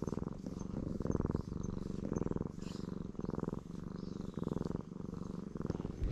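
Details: Purr of a black stray cat pleased at being stroked, captured on a GoPro HERO8: strong, even low rumble broken into regular breath pulses about every half second, with only faint background noise.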